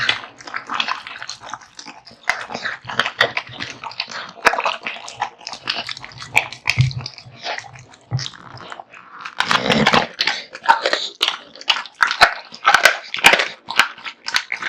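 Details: Male American Bully Kotetsu wolfing down raw meat and bones in a large meal, wet chewing and crunching throughout, a few low growl-like rumbles near the middle, then a loud burst of gnawing.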